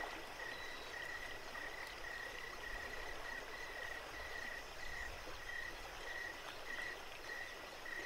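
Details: Crickets chirping at night beside Jacobs Creek: steady, short tonal chirps repeated about every half second over the constant rush of running creek water.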